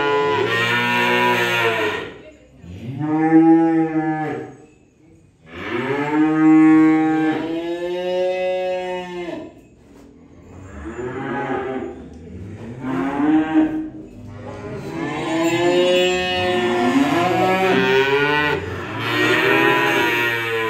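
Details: Cattle mooing while being unloaded: a run of loud, drawn-out moos, several overlapping and rising then falling in pitch, with short quieter gaps between bursts across twenty seconds.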